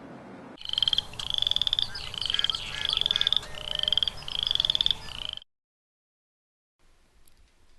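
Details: A Boreal chorus frog (Pseudacris maculata) gives quick, high, rasping trills, each like a fingernail run along a comb.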